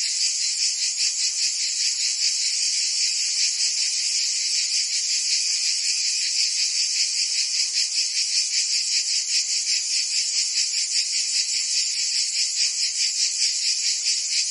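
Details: Summer cicada chorus in Provence, France, a continuous high, hissing buzz pulsing rapidly and evenly, many insects blending into one steady wall of sound with no other noises.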